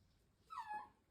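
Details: A Shiba Inu gives one short, tonal whine that starts high and slides downward, one of the strange talking sounds these Shibas have made since they were puppies.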